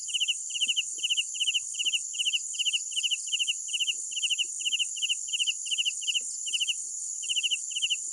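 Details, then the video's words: At night a cricket repeats brisk pulsed chirps of three to four notes, evenly spaced about two to three per second, above a bright unbroken insect drone; scattered faint low ticks. "Sounds of Night Crickets"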